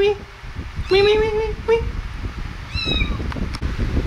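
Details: Kittens at play and feeding time give a run of four clear, tonal meows, each drawn out and slightly rising, the last one higher and thinner, while a person talks softly in Vietnamese over rustling and handling noises.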